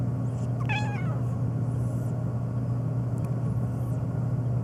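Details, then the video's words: A black domestic cat meowing nonstop, especially in response to sneezing; a single short, wavering meow near the start rises then falls, over a steady low electrical hum. "My Black Cat Meowing Nonstop, especially to sneezing"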